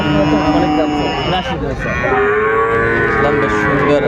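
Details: Sahiwal cattle, bull calves being sold at Aftabganj market in Bangladesh, 29 December 2024. A long steady lowing call, then a second rising and falling moo after a short gap, with chatter and bustle behind.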